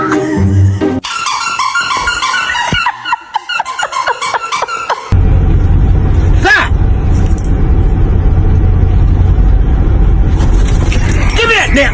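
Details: Music with brief speech at the start gives way to steady road traffic noise with a passing vehicle and a faint voice near the end.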